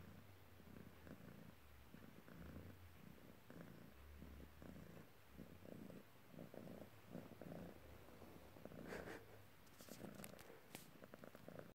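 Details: A polydactyl Maine Coon cat purrs steadily, a low rumbling throb pulsing with each breath, while kneading, which he loves doing.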